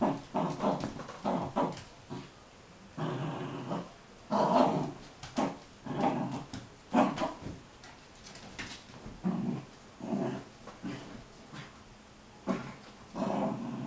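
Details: Play-fight between Arwen, a small Sealyham Terrier, and a shepherd mother-and-daughter pair. Repeated gruff growls and snarls come in short bursts about every second, some louder and longer, mixed with scuffling between them.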